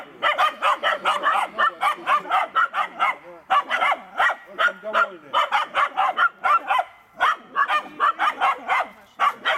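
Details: A Finnish Spitz named Kaya barks rapidly and insistently, baying at a raccoon it has found while hunting.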